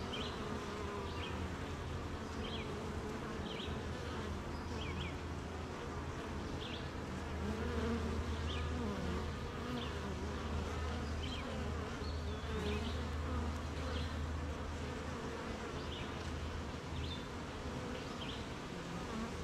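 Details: Many honey bees droning together at a hive on a rainy morning while making honey, farms and gardens nearby; continuous low, even hum with a deep steady undertone, and small high birdsong chirps scattered across the recording.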